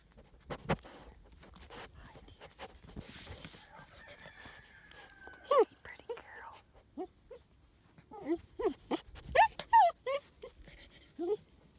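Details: German Shepherd puppies about nine weeks old, playing outside on Valentine's Day in Florida, February 2017; a burst of short high yelps and barks, several overlapping, after quieter rustling and a faint whistle-like tone.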